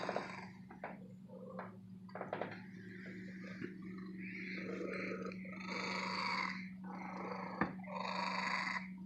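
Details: Female pet cat kept at an antique store, purring long and happily; soft broken rumbling early, then louder rasping purr bursts in regular in-and-out breaths, over a constant low electrical hum.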